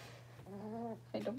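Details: Blenheim Cavalier King Charles Spaniel puppies, six weeks old, from a litter of five kept indoors in a puppy pen: one steady, tonal whine of about half a second, then a brief higher, broken yelp over a low electrical hum.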